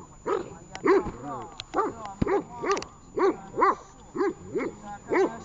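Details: Training recording of the dog Tash, Horlivka, 18 August 2019: deeper, rounded barks repeated about once a second, mixed with a few sharp clicks and knocks in the background.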